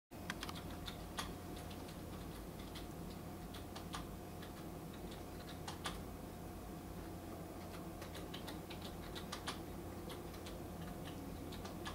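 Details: Rapid, uneven clicks of keyboard typing over a steady low room hum, with no animal voices.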